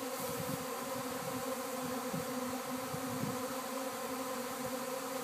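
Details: Swarming honey bees traveling and landing at a house in Arcata; thick, unbroken buzzing hum from a mass of wings, slightly pulsing, with the low tones wavering throughout.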